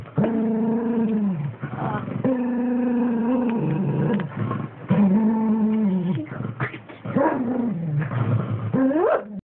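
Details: A three-year-old dog confronting its own reflection in a mirror, recorded on an Xperia X10 mini phone, voices long drawn-out growling whines in tonal notes of one to two seconds each. The notes come in several bursts, and one ends with a rising squeal.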